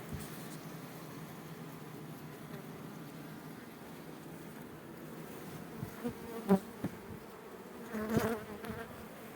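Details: Honey bees at a working apiary where colonies are kept in hives. A steady, soft, low hum of many bees runs throughout, broken by a few sharp clicks and knocks near the end.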